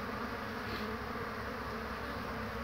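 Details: Honey bees on 22 March 2019 in cool spring weather, carrying in pollen. A steady, dense hum stays low and even for the whole stretch, with no other clear sounds.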